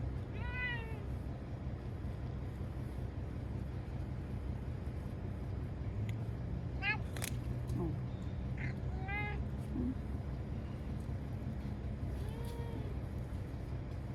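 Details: A timid ear-tipped community cat named Chanta, caught in Okinawa and sheltered in a bathroom from Typhoon No. 10 in September 2020, meows plaintively. Scattered wavering cries separated by pauses of several seconds, set against constant low humming background noise.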